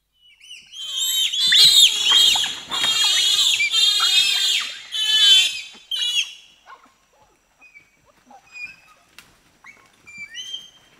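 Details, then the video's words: Pygmy chimpanzees, four to six of them, scream and shriek in reaction to being presented with sugar cane: a dense burst of high, harmonic, wavering shrieks for about six seconds, then scattered short squeaks and quieter calls. "Pygmy Chimpanzee / Screams & Shrieks As Reaction To Presentation Of Sugar Cane. 4-6 Chimps Shriekin"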